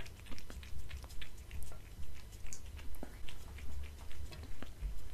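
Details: House cat chewing dried fish and cat food on a glass table; loud, clearly spaced crunchy bites roughly twice a second, each a short crackling burst, with a steady low hum behind.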